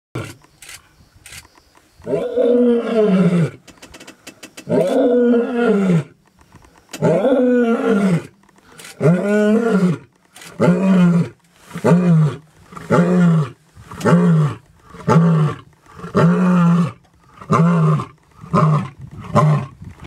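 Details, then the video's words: A lion in Maasai Mara National Reserve, Kenya, roars: several long, deep moaning calls, then a run of shorter, faster grunts. "Feel the power of a Lion's roar"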